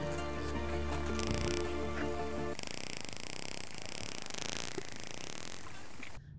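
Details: Spinner dolphins underwater in Hawaiian waters give high, sweeping whistles over a dense crackle of clicks, after a musical opening; dolphins vocalizing within and between family groups.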